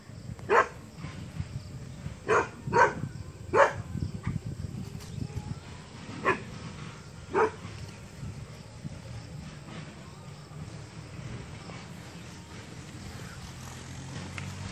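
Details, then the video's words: Dog barking at a monkey, six sharp, loud barks in the first eight seconds at uneven gaps, some in quick pairs, followed by a steady low background rumble. "dog barking at monkey"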